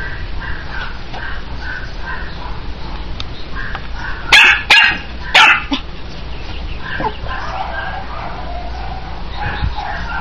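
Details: Longhair Chihuahua puppy Lady, red sable coat, lets out three quick shrill yips close together midway, framed by quieter whimpering tones and a steady low background hum.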